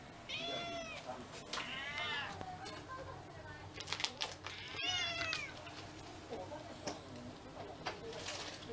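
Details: Pet cats from a household of six mixed-breed cats, given a special Cat Day dinner in February 2023, utter three bright, bending meows, the last one strained. Human voices and clattering come in between.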